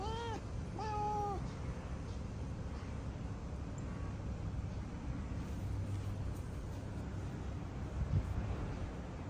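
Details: Domestic cat named Mocha, said to turn to fighting mode whenever he sees other cats, gives three short rising-falling meows in the first second and a half, then low background rumble with no further calls.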